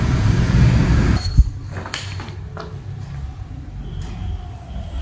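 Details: Loud low rumbling of a train or vehicle, with a sharp bang and faint squeals, and no animal voice heard.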